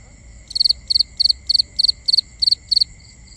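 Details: Crickets calling at night, binaural recording: eight crisp, high pulsed chirps about a third of a second apart, then a fainter chirp, with a steady high whine and gentle low noise underneath.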